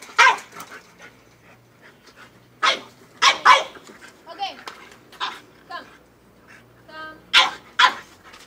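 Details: French bulldog going crazy over a goat, giving loud harsh barks in scattered bursts, some in quick pairs, with gaps between; a person keeps urging "get it" in the background.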